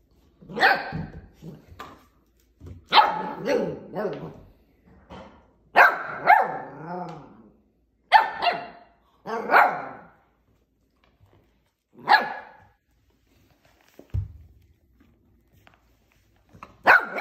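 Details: Portuguese Water Dog puppy playing with plastic bottles barks in short rough bursts, some clustered and one drawn into a wavering whine, separated by quiet pauses of one to two seconds.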